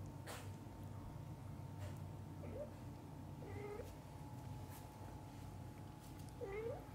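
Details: Cats of a family with a mother and newborn-to-eye-opening kittens: three short, thin mews spread out over several seconds, the last one upswept and strongest, with faint clicks and a constant low indoor hum.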